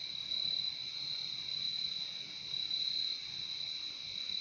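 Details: Crickets in a nature recording: a dense, unbroken high-pitched trilling chorus holding steady throughout, with a softer lower band beneath it and no other clear sounds.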